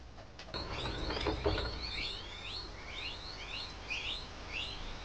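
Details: Guinea pigs giving a run of short, high, upswept squeaks, about four per second and fairly even in spacing, after a burst of soft rustling and knocking at the start.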